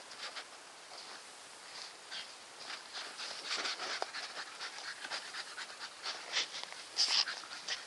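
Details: Staffordshire Bull Terrier Nikita panting steadily, rapid hissing breaths repeated several times a second, growing a little louder toward the end, with a faint click near the close.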